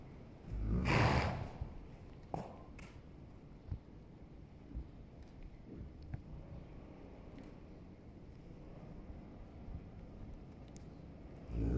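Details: Holsteiner horse rolling: a single strong breathy snort early on, then soft scattered knocks and rustles, and a fresh burst of breath at the very end.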